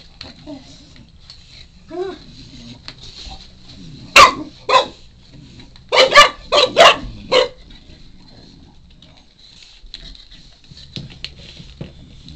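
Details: Four-month-old Shar Pei puppy wanting a chew, making funny noises: a few soft whines, then a burst of short sharp barks and yips in quick clusters, with a person's voice in the room.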